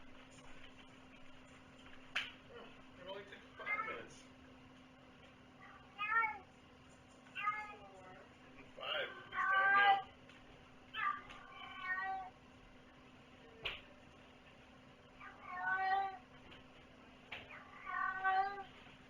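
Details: Cat giving a run of repeated meows, about ten a minute, some rising and falling, others short and clipped, with brief clicks and a constant low hum in the background.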